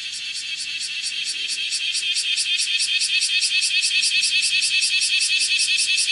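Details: On a house window screen, a bear cicada (Cryptotympana facialis) sings while walking, 31 July 2018, 10:03; rasping high-pitched shrill rising from softer to loud, throbbing in fast even pulses about two or three per second.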